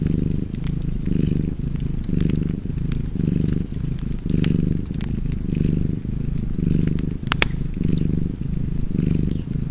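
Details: Domestic cat purring by a crackling fireplace: a low, rumbling purr swelling and fading in steady breath cycles roughly once a second, with sharp wood-fire pops scattered over it.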